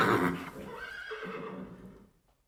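A horse gives a loud, shaky neigh that starts high and strong, then wavers downward and fades over about two seconds.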